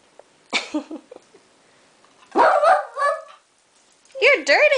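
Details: Indoor pet dog protesting at not being let out after hearing people outside, giving short grumbling yowls and a wavering whine near the end, with talking around it.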